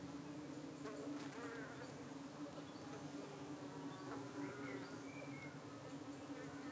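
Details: Evening buzz at a UK honey bee hive under attack by darting flies, bees defending themselves: an even, continuous low drone with a soft overtone and brief thin whines above, steady for the whole stretch.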